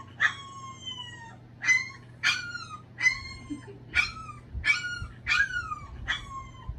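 A Boston Terrier gives a series of high, falling whines and yelps, about one every second.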